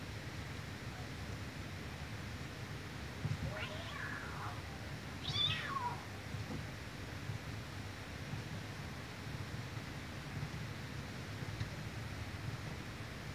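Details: Mother cat forcibly cleaning her kitten; two short high meows with falling tails around the third to sixth seconds, over steady low rumbling background noise.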